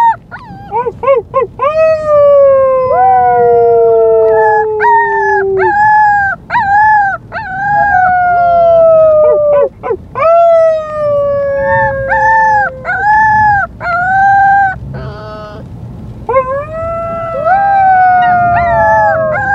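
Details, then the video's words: White female Siberian Husky puppy named Luka, filmed the day she was brought home, howls in a long run of drawn-out falling wails mixed with quick yelping upswings and short breaks. "Husky puppy howling"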